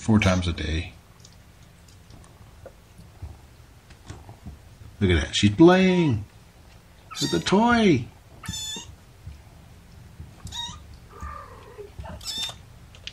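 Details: Young kittens from a litter of five, born April 14 to mother cat Gamora, sitting in a lap indoors: three loud meows that rise and fall, the last one shorter, after a short burst of human talk, with quiet pauses between.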